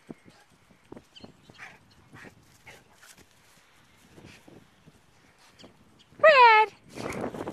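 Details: Cane Corso dogs Phoenix and Wolverina of Sovrana kennel, outdoors on grass while a person urges them to play; soft murmured talk gives way to one sharp, loud, falling whine-yelp rich in harmonics, followed by a brief rustling burst.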